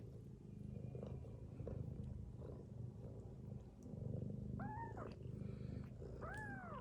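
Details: Domestic mother cat sleeping with her kittens, snoring: a steady low pulsing rumble throughout, with two high arched mewing calls near the end.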